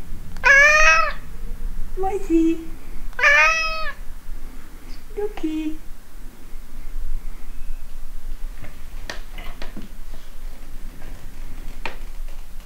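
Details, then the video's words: Pet cat meowing indoors while exchanging affections with its owner, who asks if it is hungry. Two loud bright rising-falling meows near the start, short chirpy murmurs between, then quiet room noise with faint clicks and rustles. "Katze Frida redet mit mir! Cat Frida talks to me!"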